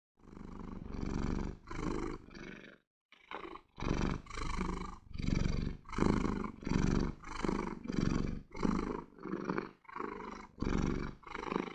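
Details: A relaxed domestic cat purrs steadily, a low rumbling buzz rising and falling with each breath.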